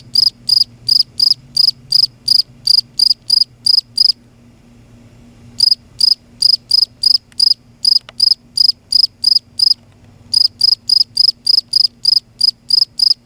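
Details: A loud cricket sings at night in Kerala. Trains of rapid, high-pitched chirps run at about three per second. The song breaks off twice, for over a second and then briefly, before it resumes. A soft low hum is in the background.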